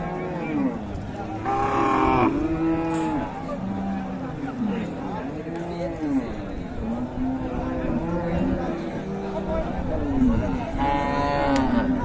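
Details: Several cattle at Raniganj livestock market in Dinajpur, where meat bulls and cows are sold, low moos overlapping and rising and falling almost without pause, with the murmur of a crowd behind.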